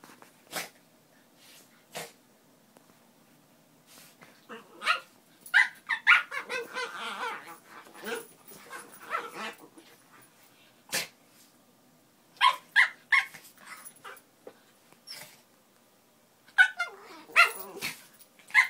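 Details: Miniature Pinschers playing together: sharp, isolated barks at irregular intervals, a stretch of rough growling and snarling in the middle, then bursts of quick high yips near the end.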